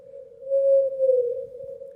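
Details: A blue whale's song, sped up 30 times to audible pitch and recorded about 650 miles away, sounds as a steady, pure humming tone that sags slightly. Finding: Blue whale.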